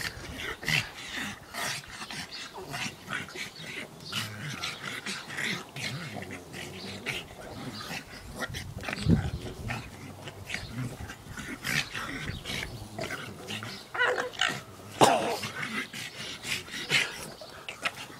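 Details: Pugs at play give constant snorting grunts and low growls, broken by a few higher whimpering squeaks and short yelps.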